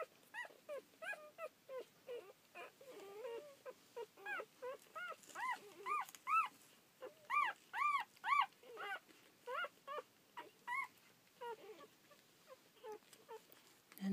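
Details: Seven one-day-old rough collie pups, the litter of Lemon and Taro, recorded 23 May 2014 after their birth the previous day. High arched whimpering squeaks come roughly twice a second in uneven bursts, louder mid-clip, fading to scattered peeps.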